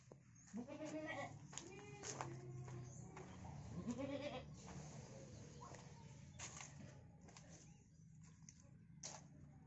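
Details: Goat caught and hurt so badly it cannot stand, crying out in a run of loud, wavering, harmonic bleats in the first five seconds, then quieter clatter and rustling with steady low hum.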